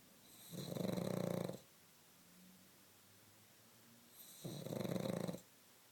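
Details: Sleeping pug snores: two broad, gravelly inhalation snores about three and a half seconds apart, with faint breathy sounds in the quiet between them.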